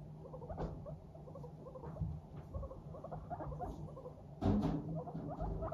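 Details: Walking happily, Teddy and Abyssinian guinea pigs chatter in fast soft pulse strings, then a louder sharp burst of sound just past four seconds, over a low background hum.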